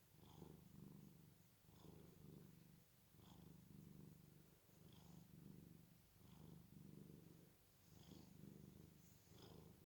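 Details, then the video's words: A cat snoring while sleeping: deep, purring rumbles on each breath, repeated about forty times a minute in even waves, with soft wheezy edges and no other sounds. "My cat is snoring"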